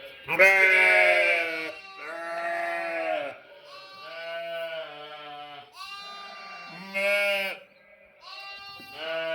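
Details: Sheep and lambs bleating. Five or six drawn-out, quavering, nasal bleats, each one to two seconds long, some higher and some lower-pitched, with short pauses between them.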